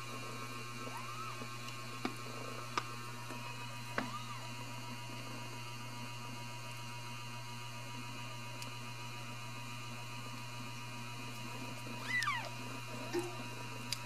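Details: Ragdoll kittens at a home cattery in central Kansas, raised without cages: a few faint arched mews early on, then a clearer, rising-and-falling mew near the end, all over a constant low electrical hum and occasional soft clicks.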